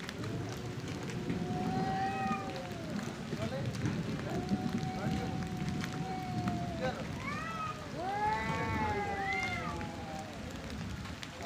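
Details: Two male cats fighting over area and breeding: long, drawn-out wavering yowls held for several seconds, with rich harmonics. Sharper rising and falling wails come near the end over steady low background rumble.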